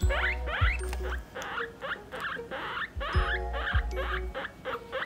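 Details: Domestic guinea pigs, a parent with young, kept in separate male and female cages: short rising squeaks sweep upward in quick bursts over cheerful background music with a steady low beat.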